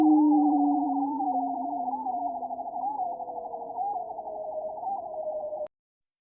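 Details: A seal's underwater descending trill in the Arctic Ocean: a fast, warbling pulse on two low tones that slowly slide downward, over faint sea background, recorded with aliasing.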